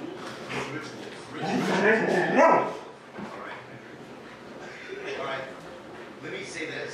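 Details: Several huskies alone in the house while their people are out on errands, Gertie then just one year old. A loud burst of wobbling, voice-like howling swells in the middle, with quieter yowls before and after.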